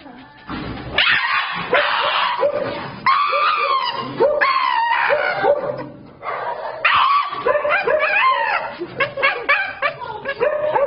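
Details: A Shiba Inu at the vet screams in loud, wavering, high-pitched wails that rise and fall in long bursts.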